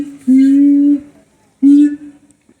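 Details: Siamang at Higashiyama Zoo giving two steady, slightly rising tonal hoots, each held for under a second with a pause between, in a quiet setting.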